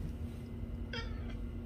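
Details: Clingy male house cat seeking attention from its owner, giving one short, clear meow of about a fifth of a second over a steady low indoor hum.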